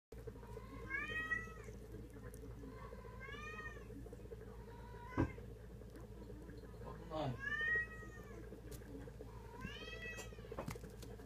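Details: Munchkin kitten, 34 days old, giving thin high meows that rise and then fall, about five spread over eleven seconds. A steady low hum and a single sharp click sound in the background.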